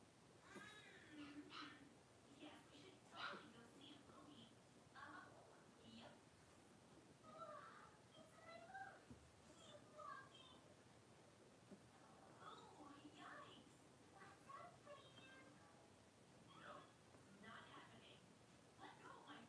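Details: Five blenheim Cavalier King Charles Spaniel puppies, born at New Year, playing together in an indoor puppy pen; dense overlapping high yelps, squeaky whines and short barks burst out in quick succession, with faint voices in the background.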